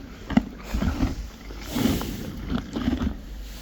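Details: Friesian horses and foals chewing hay, recorded as relaxing ASMR: irregular dry crunching bursts come in short clusters about every half second to a second, with a soft rustling background and a brief spoken word before.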